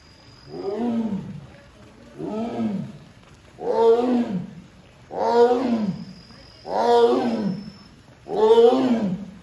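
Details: Sasha, a captive Amur tiger at Hamamatsu Zoo, Japan, calls for her keeper on 24 September 2023 because the door will not open by itself; six hoarse, moaning calls roughly every one and a half seconds, each a rising-falling voiced burst.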